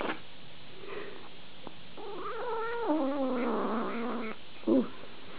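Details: Domestic cat in a funny pet compilation giving a drawn-out, wavering meow that slides up and then down over about two seconds, followed by a brief shorter cry; a person's voice is nearby indoors.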